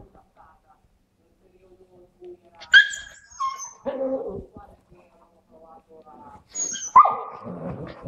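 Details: Labrador named Lucky playing indoors in a living room with Sky, a Husky puppy; three sharp, loud bark-yelps, one early, one just after and one near the end, separated by quiet stretches with faint whimpering and soft rustling.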